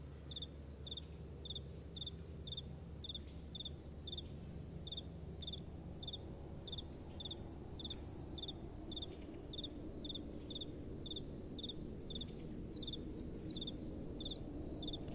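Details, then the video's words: Crickets calling at night, their bright, clipped chirps falling in a fast, regular rhythm of several per second for the whole stretch, layered over a soft, low wind hum. "Relaxing Night Time Sounds | Crickets & Soft Wind"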